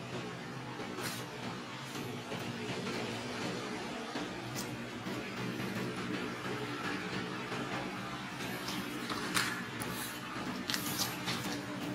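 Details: Steady broadband noise with a low hum and scattered clicks, and no animal voice.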